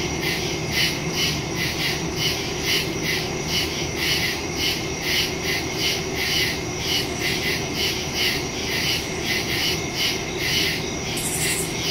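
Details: Night crickets calling in woodland, captured in early September with a phone and stereo microphone; shrill high-pitched pulses repeat rhythmically over a constant insect drone, a soft low hum beneath.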